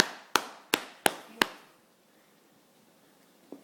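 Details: A quick series of five sharp, hard taps or knocks within a second and a half, followed by near silence and one faint knock at the end.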